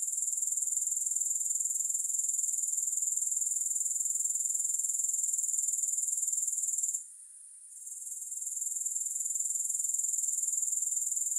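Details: Grasshoppers stridulating without music: a dense, thin, very high ringing trill, steady and rapidly pulsed, broken midway by a brief hush before gradually returning to its earlier loudness.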